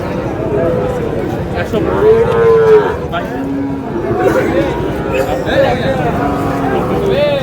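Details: Sahiwal bull calves at a cattle market, bought by a farmer from Narsingdi. A drawn-out moo rises and falls mid-clip, with shorter lowing around it, over steady crowd chatter and men's voices bargaining.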